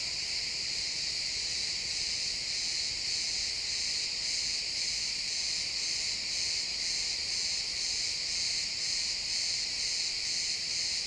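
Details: Crickets chirping in a pine forest at sunset, recorded in XY stereo in the woods: a dense, high, shimmering chorus pulsing about twice a second, steady throughout, with no other clear sounds.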